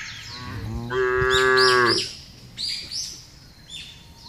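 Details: A single drawn-out, steady moo rises out of a huge herd of cattle being driven over a broad grass field. Scattered high bird chirps follow, with a low rumble underneath.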